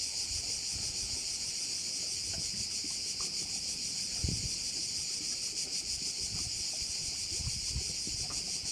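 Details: Crickets at a bay on Korčula, Croatia: a dense, continuous high shrill chorus with a fast, faint pulsing throughout, over low rumbling wind and scattered soft knocks.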